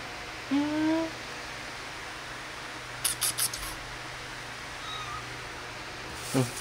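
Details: Kittens playing and feeding indoors; one short, rising, harmonic mew early on, then a few soft clicks and taps, with a steady low hum underneath and a faint second squeak near the end.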